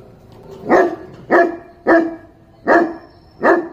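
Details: Dog barking in a series of five short, sharp, loud barks, one roughly every 0.7 seconds, with quiet gaps between them and no other clear sounds.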